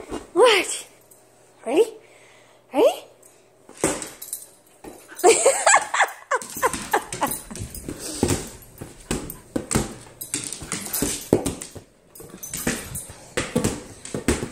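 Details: Nala the husky, female, indoors at home during a ball game; three arched, rising-then-falling whining calls about a second apart open, followed by a person talking, laughter and clattering play noises.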